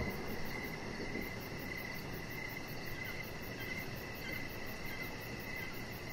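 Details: Outdoor evening cricket chorus by a deck where a chihuahua lies; soft repeated chirps and a fast shimmering high trill persist over heavy low-pitched rumble.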